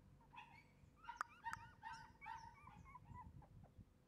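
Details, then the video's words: A Shiba Inu puppy gives a brief burst of thin, high whines, each rising then falling, bunched in the middle of the stretch over constant low rustling and handling noise. "shibainu puppy"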